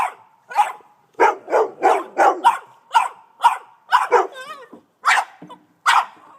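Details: An 18-month-old Boston Terrier barking like crazy at a snow shovel, filmed on an iPhone; rapid, steady barks roughly three per second, broken once by a wavering whine before the barking resumes.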